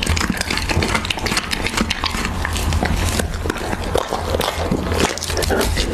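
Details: Husky eating raw beef, recorded close for ASMR: quick wet chomps and lip smacks, with a few louder crunchy bites standing out, over a low steady hum.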